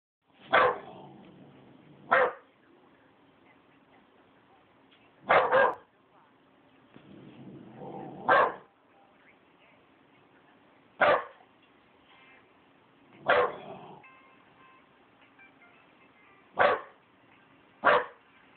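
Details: A 12-week-old male Rottweiler puppy, acting as a guard dog, gives sharp, loud single barks in uneven bursts as a warning.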